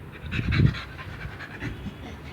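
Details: Pit Bull panting during obedience training on voice commands, low rapid breathy puffs strongest early on, then softer rhythmic breaths over a steady background hiss.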